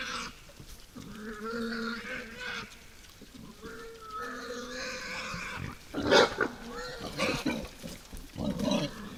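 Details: Night-time wild boars at a woodland feeder squeal in long, harmonic, whining notes, several overlapping in the first seconds, followed by a sharp, loud shriek and shorter squeals with grunts.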